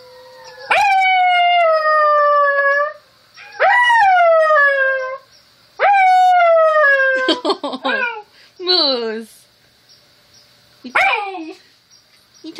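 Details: An Alaskan Malamute gives long, steady howls that sag slightly in pitch, answering wolf howls played from a video.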